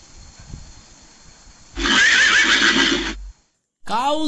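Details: Horse neighing: a loud, wavering whinny lasting over a second with a shaky tonal line, then a sharp cutoff, silence, and the start of another sound; soft music is faintly audible beforehand.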